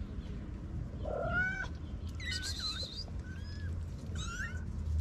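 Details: Stray white mother cat with four small kittens: several thin, high mewing calls, rising and bending, heard over strong low rumbling noise.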